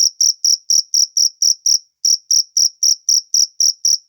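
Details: Cricket recorded in nature, giving loud high-pitched chirps repeated about four times a second in a steady series, with one short pause near the middle; no other sounds.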